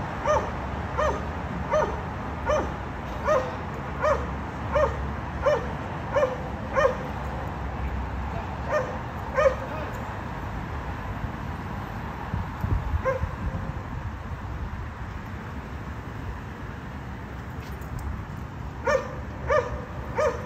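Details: Barking dogs at a condo, disturbing neighbours three times each day: evenly paced barks repeated for about ten seconds, then a long lull with only background rumble, and barking starting again at the end.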